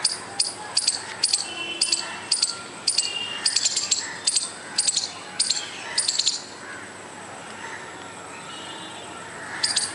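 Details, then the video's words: Squirrel calling in sharp, clicking notes about twice per second for over six seconds, then falling quiet before one last burst; faint chirps and background hiss underneath. "squirrel making noise without any reason"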